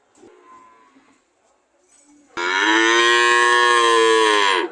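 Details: Cow moo: faint background sounds, then a sudden loud, sustained moo lasting over two seconds, steady and harmonic, dropping briefly in pitch at the close.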